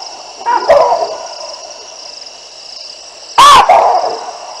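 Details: Baboons calling in alarm from their trees as two lionesses pass beneath, Olifants River live cam, 9 December 2022: two loud, harsh barks about three seconds apart over a steady high insect drone.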